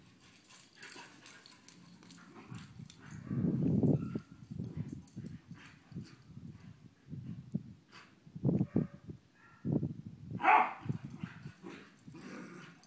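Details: Pair of household dogs, described as cousins, tested for getting along before a sleep-over, trade low throaty rumbles and short gruff bursts, with a brief higher yip-like cry near ten seconds amid background rustle.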